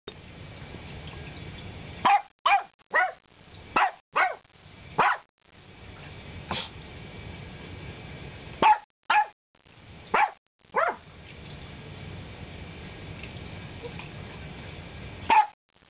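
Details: A barking Morkie gives sharp, short barks, singly and in quick bursts of two or three, about eleven in all with uneven pauses, over a steady low background hum.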